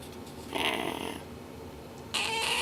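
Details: Napoleon, a 13.5-week-old pet kitten, sneezes: two short, breathy, broadband bursts about one and a half seconds apart, the second one sharper and louder, with a quiet room in between.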